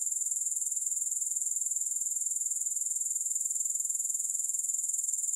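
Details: Grasshoppers with no music added, for sleep and relaxation: a steady, very high-pitched shimmering trill pulsing about four times per second, unbroken throughout, with no other sounds.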